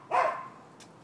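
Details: One abrupt, rough bark from a neighbor's dog in Florida, recorded 7 December 2015 during a long barking nuisance, then quiet with a faint click.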